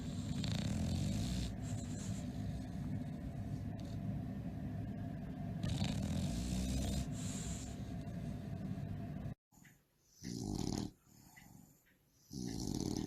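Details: Tired bulldog sleeping and snoring loudly during a nap: a steady low rumbling breath sound with broadband noisy bursts, running continuously for about nine seconds, then broken into separate snorts with quiet gaps.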